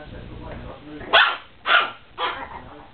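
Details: Chihuahua puppies offered for sale give three sharp, high yapping barks about half a second apart. A low, murmuring background comes before them.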